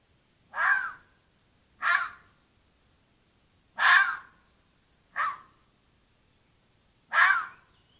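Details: A red fox (Vulpes vulpes), caught by a camera trap in the Apennines, Italy, gives a series of harsh, hoarse barks, each short and spaced one to two seconds apart.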